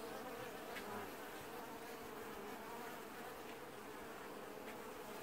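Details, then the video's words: Washboarding honey bee colony in an apiary during early July 2019, heard as a thick, steady buzzing drone from many bees, with no other clear sounds. "Washboarding Bees & Ambient Sounds"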